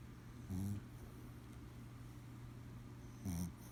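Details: Sleeping Chihuahua snoring: two short, low, rumbling snores, one near the start and one near the end, with quiet breathing between and a steady low electrical hum throughout.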